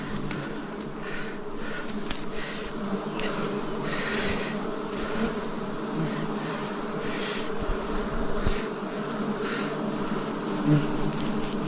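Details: A swarm of wild bees hums continuously as honey is harvested in the forest in 2026, the low, even buzz layered in harmonics, punctuated by scattered taps, clicks and rustling from the harvesters.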